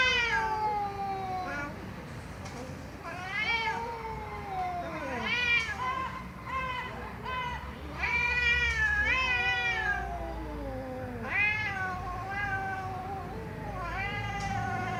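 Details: Cats meowing loudly, a dense string of arched, whining meows, some long and descending, others short and repeated, with faint background noise.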